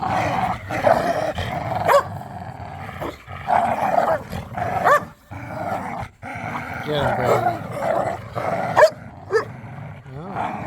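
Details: Pit bulls in tug-of-war play in a yard, snarling and growling in long rasping bursts with brief gaps, a few sharp barks and squeaky-toy chirps mixed in.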